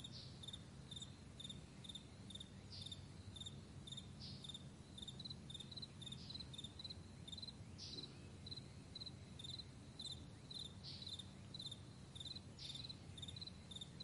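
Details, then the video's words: Crickets on a vast meadow in the morning: short, high, pulsed chirps repeating steadily, with louder, brighter chirps breaking in every second or two over a soft low rumble. "Morning Crickets"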